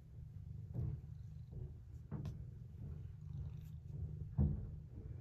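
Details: Domestic cat purring quietly, recorded on October 19: a continuous low rumble with steady throbbing pulses, overlaid by a few soft clicks and rustles.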